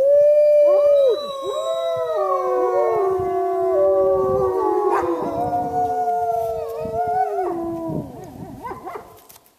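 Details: Chorus of wolves at Lakota Wolf Preserve: many overlapping, sustained howls at different pitches, some held level and others sliding down, continuing for about eight seconds before fading out.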